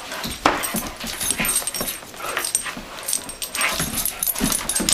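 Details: Two Doberman Pinschers adopted from rescue, two and nine years old, letting off steam in a carpeted room; rhythmic growly grunts and scuffling thuds repeating roughly every half second.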